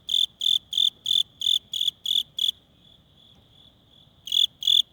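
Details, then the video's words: Cricket chirping by rubbing its wings during cold weather, when most have died off. High, clear pulses sound in a steady train of eight, about three per second, then a pause with a faint trill, then two more chirps. "귀뚜라미 울음소리"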